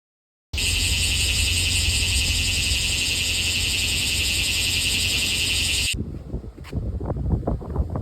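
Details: Cicada of an unnamed species recorded live: an intense, continuous, shrill buzzing drone that starts suddenly, holds steady for about five seconds, then cuts off, leaving rustling background noise.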